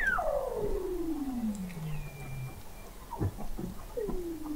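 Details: A long sliding whistle falling steadily from high to a low drawn-out tone, then shorter downward swoops, from Weddell seals under sea ice in McMurdo Sound, Antarctica, recorded November 2017 at an observatory 21 m deep.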